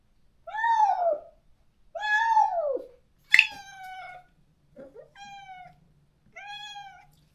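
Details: A stray countryside cat, neutered and parted from its close companion, cries out repeatedly. Five meows of varying length and strength, some arching up then down, one sharp and loud, over a faint low hum.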